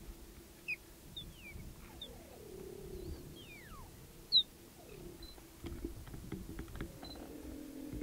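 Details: Cheetah chirps, thin bird-like whistles sliding sharply downward and given singly over a steady low hum, from a mother, her three cubs and an intruding young male in Olare Motorogi Conservancy, Kenya.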